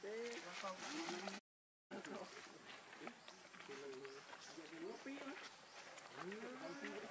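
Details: Baby monkey Leo crying to its mother, begging for milk: wavering, whiny harmonic cries that rise and fall, repeated in short bursts, with a rising drawn-out whine near the end, over outdoor background hiss.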